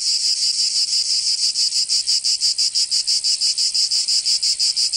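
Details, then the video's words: In southern France's Provence during summer, cicadas produce a sharp buzzing song beating in regular fast pulses, roughly three per second, growing more clearly rhythmic after the first second. "Canto Cigarra 🦗 [ Escuchar les cigarras en verano 10 H]"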